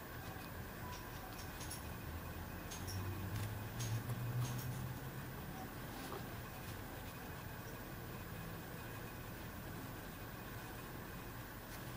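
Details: Steady low engine and vehicle rumble with broadband hiss throughout, no animal voice heard.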